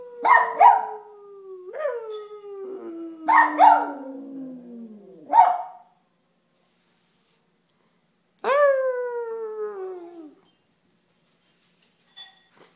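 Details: Benji, a dog, joining in on the howl: a long howl gliding steadily down mixed with short yelping barks, then after a pause one more falling howl, and faint clicks at the end.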